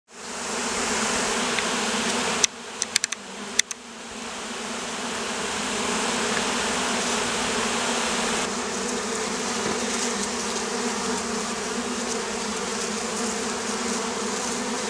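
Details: Oriental hornets in Campania, Italy, a wasp troubling beekeepers of the Campanian plain; a steady, dense droning buzz with a low hum. It breaks briefly near the start with a few sharp clicks, then resumes and swells slightly.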